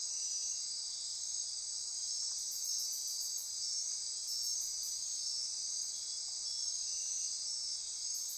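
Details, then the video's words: Midnight rainforest insects on Costa Rica's Osa Peninsula near Corcovado National Park, a continuous high-pitched buzzing, trilling wall of sound overlaid by short clusters of fast ratcheting pulses. "Costa Rica Rainforest - Midnight Insect Chorus"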